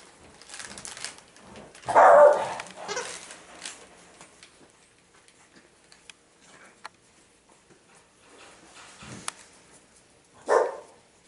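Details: Several Boston Terriers playing together outdoors on 13 September 2017; a loud, short bark-like burst near two seconds and another near the end, with quieter scuffling and rustling between.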